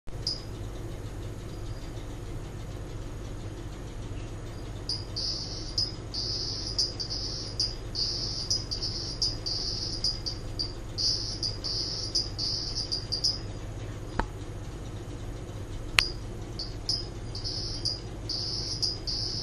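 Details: Hourglass toad (Leptophryne borbonica), also called cross-toad, a lowland-forest species of Indonesia, recorded in captivity giving its mating call: short, high, buzzy pulsed bursts in rapid series, pausing and resuming, over a steady low hum with two sharp clicks.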